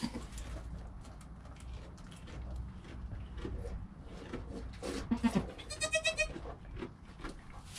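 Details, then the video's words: A goat kid named Joel in his first hour of life, his calm mother Penny nearby, captured by GoPro: a brief bleat at about five seconds followed by a pulsing, quavering bleat lasting roughly a second, with steady low background noise. "Baby Goat - One Hour Sound and Video"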